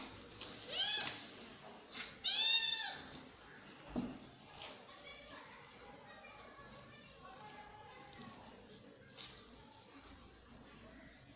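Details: Kitten meowing near its protective mother cat: two loud, high, arching meows with rich harmonics in the first few seconds, then softer, shorter meows at intervals against a low background murmur.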